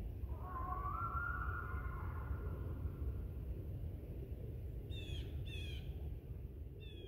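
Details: Coyote of a pack in Ash Brook Reservation, 7:30 AM, December 7, 2019, calling toward a separated member: one drawn-out rising then level howl lasting about two seconds, later quiet, with brief high bird chirps near the end over low rumble.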